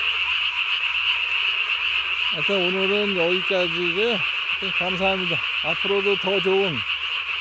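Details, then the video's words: Night recording from 3 May 2020 of a Japanese tree frog with a body-sized inflated vocal sac; constant high pulsed croaking underlies a long run of lower, gliding harmonic notes in the second half. "밤에 우는 청개구리 울음판이 몸통 만큼 크네요?"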